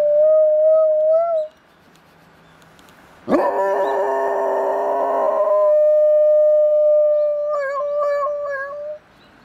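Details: Labrador Retriever; howl; imitating an ambulance siren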